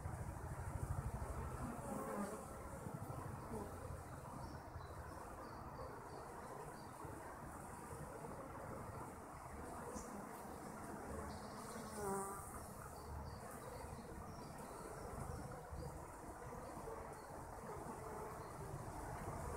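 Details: A colony of honey bees hums continuously, a thick low drone with brief louder swells near the start and around the middle as individual bees pass closer.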